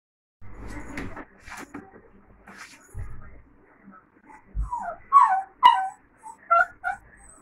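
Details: Labrador puppy, 45 days old, gives high whimpering yelps in short rising and falling bursts during the second half, after earlier rustling and soft thumps.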